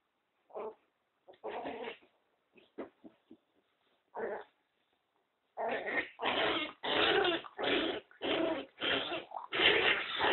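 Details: Nino, a two-month-old Pinscher puppy, playing fiercely as if attacked and pulled toward a 'snake' hole: scattered short rough growls and yaps, then a rapid run of harsh growling barks about twice a second.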